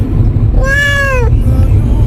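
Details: Domestic cat in heat letting out a single long, steady meow that dips slightly at the end, over loud low rumbling background noise.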